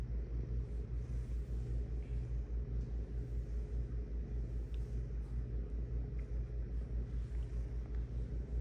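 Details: Cat purr, low and throbbing, with even pulses about once a second in a smooth unbroken drone, and little else audible.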